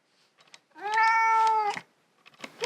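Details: Russian Blue cat protesting during claw clipping indoors, on a day it resisted especially fiercely: one sustained, level, harmonic-rich meow lasting about a second, with faint rustling and handling noises before and after.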